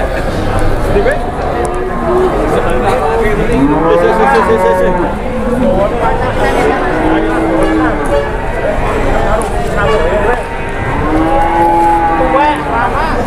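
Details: A Grandong cow rampaging as it is unloaded from a truck gives drawn-out, rising and falling moos, several in a row, over a busy background of people talking and laughing outdoors.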